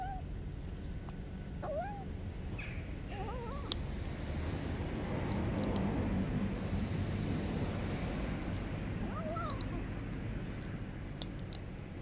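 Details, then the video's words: Hungry homeless kitten on the street meowing constantly as it eats, giving short bending meows early on and again near the end, half buried under a loud low rumble of background noise. "A homeless kitten is so hungry that when he eats he constantly meows"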